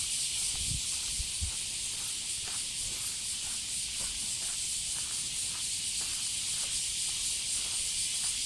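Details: Loud summer cicada chorus, a continuous dense hiss filling the upper register without a break, recorded outdoors while walking a female Border Collie; faint footsteps and light rustling underneath.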